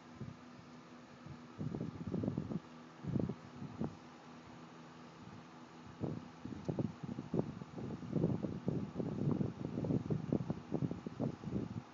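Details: Only irregular low rustling and handling bursts over a steady background hum, with no clear animal voice.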